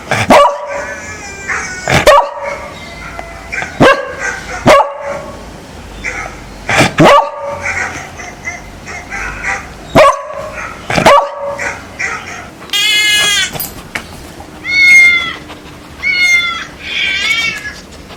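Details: A beagle reacting to strange sounds played to him gives loud, ringing barks at irregular intervals, followed by a run of odd warbling electronic sounds.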